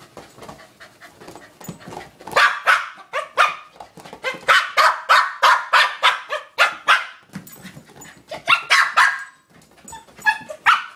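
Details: Cooper, a Corgi, attacking his new toy ball; rapid harsh huffs and growly barks come about three per second in bursts, with brief pauses and some scuffling between them.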